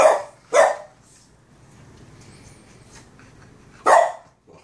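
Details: A Boston Terrier barks at his brother, another dog, with three sharp, loud barks: two close together and one after a pause.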